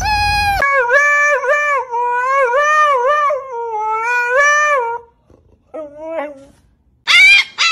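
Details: Husky dog giving a long wavering howl, its voice rising and falling in repeated yodel-like swells for about four seconds, then brief broken yelps after a pause and a loud closing outburst.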